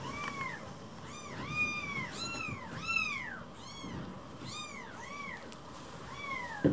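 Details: A rescued baby kitten, sulking inside a home, meows over and over: high, arched, plaintive mews, about eight in under seven seconds, some overlapping, against a faint room hum.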